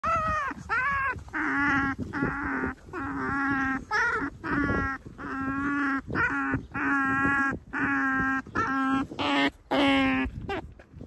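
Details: Pet female otter on a cherry blossom viewing outing, giving a run of about a dozen drawn-out, whining harmonic calls. Each lasts under a second with short gaps, over a steady low hum.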